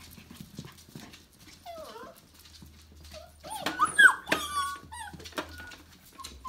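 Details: Five-week-old Tamaskan puppies from a litter, giving a few short whining yelps with sliding, harmonic-rich tones, a pair near the start and a louder cluster midway, over faint rustling and low hum.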